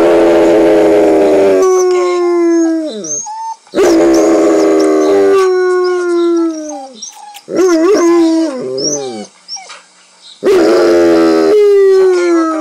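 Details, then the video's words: Nanook, a one-year-old Alaskan Malamute, howls loudly indoors at dogs on a show, long sustained howls sliding downward, interrupted by wavering yodel-like notes and short yips, four howling bouts with brief gaps. "Alaskan Malamute Nanook howling at dog on tv! Very loud"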